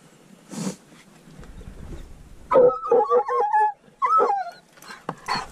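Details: Treeing walker coonhound barking on a mink hunt, alongside a dachshund: a quiet opening with one faint burst, then a run of sharp, tonal yelping barks packed close together over about two seconds, and a final bark near the end.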